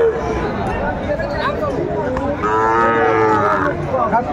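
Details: Sahiwal bull calves at a Sylhet cattle market, Bangladesh, 11 January 2025: a single drawn-out, tonal moo rises out of constant crowd noise and voices, lasting about a second before fading.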